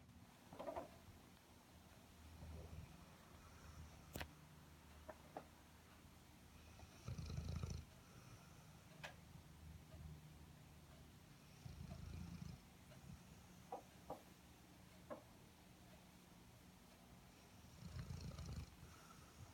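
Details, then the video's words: Sleeping Airedale Terrier snoring: slow low rumbling snores in bursts about every five seconds, separated by quiet breathing, with a few faint clicks indoors. "Snoring Airedale"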